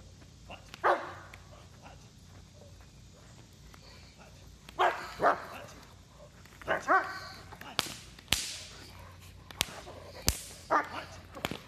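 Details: Protection training session with a German Shepherd: deep barks come singly and in doubled bursts, while sharp cracking snaps ring out between them and voices murmur faintly.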